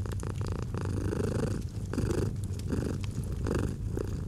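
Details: Domestic cat gently purring in a cozy autumn fireside setting: a steady low rumbling purr, swelling with each breath about every 0.7 seconds, with the sharp pops and crackles of a fireplace throughout.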